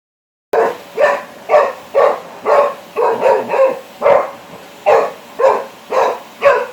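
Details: Labrador Retriever named Flex barking at a vacuum cleaner: a steady run of about twelve sharp, mid-pitched barks, roughly two per second, fairly even in loudness, with a faint steady hum behind.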